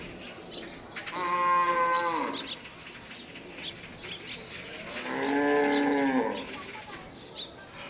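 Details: An elephant at Seoul Grand Park gives two long, harmonically rich moaning calls, the first sagging at its end and the second swelling and then holding steady, with faint chirps and light background noise behind.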